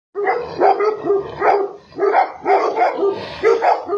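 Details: Bakarwal Tibetan Mastiff barking fiercely, deep rough barks in quick groups of two or three, roughly every half second, continuing without pause.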